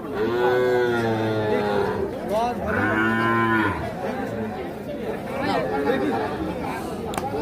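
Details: Small calves for sale at the Ambari market, 28/3/25, give two loud harmonic moos about a second apart, each rising then falling. Crowd chatter and voices take over afterward.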